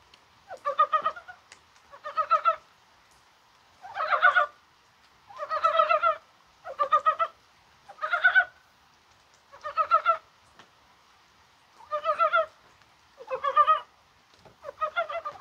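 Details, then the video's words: Rainy 21 January with spring-like weather; Dybowski's brown frogs call in short, knocking, chuckling bursts roughly every one and a half seconds, each a quick string of throaty pulses. "개구리가 울어요"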